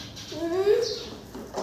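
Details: Goat giving a single short bleat of under a second that rises smoothly in pitch, with a faint sound at the very end of the clip.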